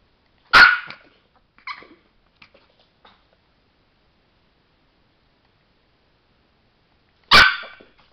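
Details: Chihuahua named Sparky, a trained trick dog, gives one sharp yip, a couple of softer follow-up notes, then another lone sharp yip after a long quiet gap.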